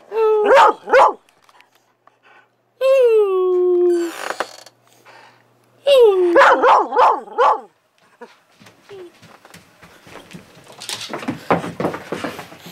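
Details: Skyy, a pet dog, at play indoors; quick clusters of sharp barks, a drawn-out falling howl, another bark burst, then rustling and scuffling noise toward the end.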